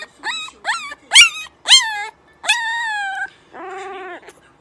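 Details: Little puppies practising howling: a string of short rising yips and whines, then a longer steady howl and a wavering lower moan to finish.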